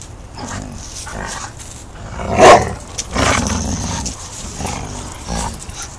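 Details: Five-month-old English Mastiff Rufus at backyard play with sister Chica, aged three; a short, loud, harsh growl-bark bursts out midway, followed by lower rumbling grumbles and scuffling.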